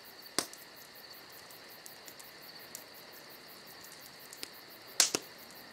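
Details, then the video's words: A continuous shrill chorus of summer-night crickets hums beneath crackling campfire sounds, with sharp pops near the start and a double snap toward the end. "Summer Night Crickets & Crackling Fire"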